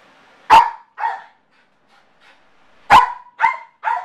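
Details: A male Yorkshire terrier barks in sharp, high yaps, showing separation anxiety when left alone at home. He does this every time his owners leave, and it lasted at least an hour.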